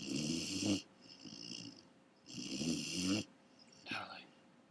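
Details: Great Dane puppy asleep and snoring indoors: two long, rasping, breathy snores about two and a half seconds apart, each lasting under a second, then a shorter, softer snore near the end.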